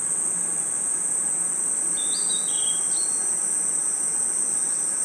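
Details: Night-time forest crickets hold a continuous shrill, even ringing tone, while a single brief warbled bird-like phrase of a few rising and falling notes cuts in near the middle.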